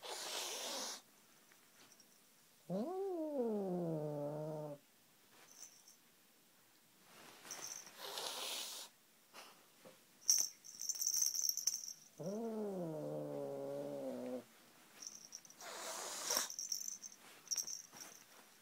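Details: A seven-month-old male Siamese kitten named Gert Lush, possessive over his toy snake, utters two long wailing meows that rise sharply then slowly fall. Sharp rattles, rustling and thumps of play are heard between the meows.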